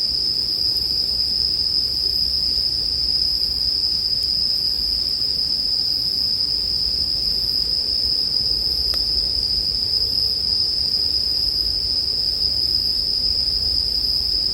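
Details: Bell crickets ring in an unbroken high drone throughout, blended with a campfire; a few sharp crackles snap out near the middle over a gentle low murmur.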